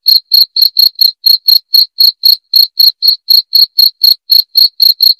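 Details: Loud, clear cricket chirping, used to repel rats. Sharp, high-pitched pulses repeat evenly at about four per second without a break, and nothing else is audible.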